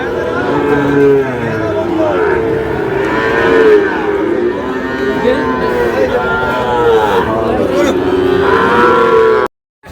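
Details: Sahiwal bull calves at the Ambari cattle market in Manikganj, Bangladesh, on 14 August '26: several overlapping, drawn-out lowing moos, rich in harmonics, rising and falling almost continuously, over a steady murmur of crowd noise.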